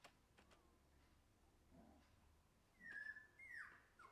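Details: Shiba Inu puppy mostly quiet, then two high whimpers late on: a thin level whine followed by a louder one that swoops downward, with faint clicks indoors.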